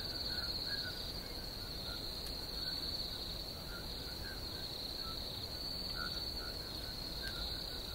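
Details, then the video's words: An unbroken high trilling chorus of crickets at steady loudness, with scattered soft lower chirps and a couple of faint clicks. "Crickets Chirping"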